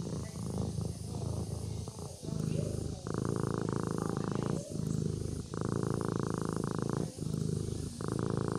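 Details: Domestic kitten purring as it sleeps: deep, buzzing rumble that swells and breaks in rhythmic breaths, each lasting roughly a second and a half.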